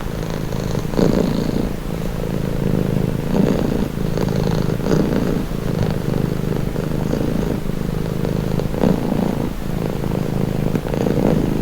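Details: Domestic cat purring in a steady, low, close rumble that runs without a break, with soft swells roughly every one to two seconds as the breath cycles.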